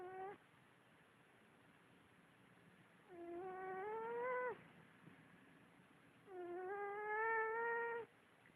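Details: A tired female cat lies asleep on her back, dreaming. She gives whistling, tonal snores that climb slightly in pitch, each about one and a half seconds long and recurring every three seconds or so, with a soft hiss in between.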